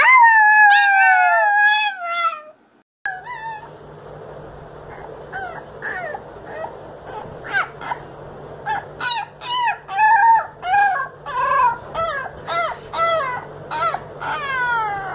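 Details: Puppies howling: a wavering tonal howl opens, then after a pause comes a fast run of short yips and brief howl fragments, about two a second, over a steady low hum.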